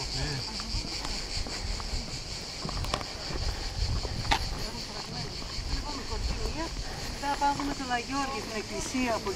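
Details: A cicada at Corfu's Old Fortress gives a steady, high buzzing drone that runs unbroken beneath people talking nearby.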